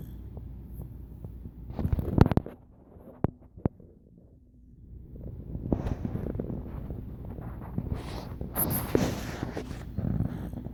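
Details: Jett, a dog asleep on his back, snoring and making noises in his sleep: low rumbling breaths swell and fade, with louder broadband bursts near two seconds and again from six to ten seconds over a steady room hum.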